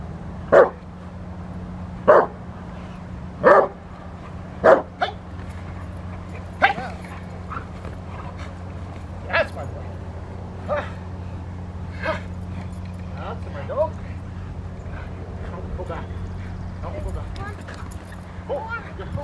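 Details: Rottweiler working on the post during protection training, March 27, 2021: four strong barks in the first five seconds, then fainter scattered barks and yips mixed with people talking and a constant low hum.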